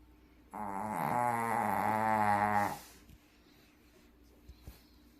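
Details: Sleeping Shih Tzu dog snoring loudly: one long, buzzy, harmonic rasp of about two seconds with a low steady drone, followed by quiet breathing and faint clicks.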